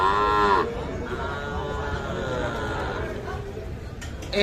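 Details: Cattle at the Ambari cattle market, where two Sahiwal bull calves about three to four months old are being priced. A short, rich, harmonic moo opens, then a fainter drawn-out lowing follows over steady crowd chatter.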